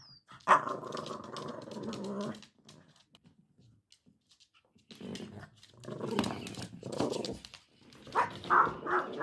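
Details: On her first birthday, Prada the Cavalier King Charles Spaniel tussles with a motion-activated interactive ball. A long, steady, rumbling growl is followed by a pause, then bursts of rough grumbling and several quick, sharp barks.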